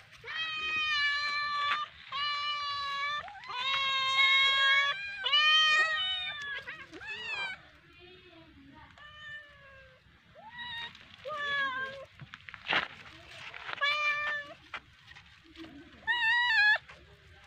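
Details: Domestic cat playing with a fish, giving a run of long, strongly harmonic meows, about eight in the first seven seconds, then softer, shorter mews with a sharp click midway.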